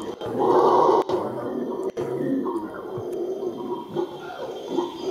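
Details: Howler monkey recorded on 20 March 2014: a loud, deep roaring howl swells strongest in the first second, then carries on rougher and lower for several seconds, broken by sharp knocks from handling.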